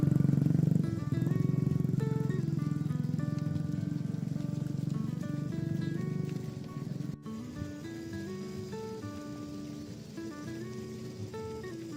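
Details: Only music plays over a low, steady rumble, with no animal calls to be heard.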